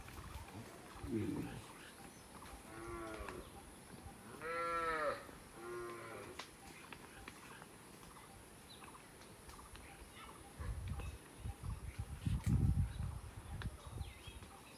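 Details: Village cow in a peaceful rural setting gives two brief moos, the second longer and stronger, followed by low rumbling and clattering sounds.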